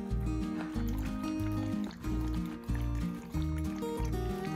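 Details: Rhythmic instrumental music with a steady beat and deep bass tones plays throughout, with no animal sound.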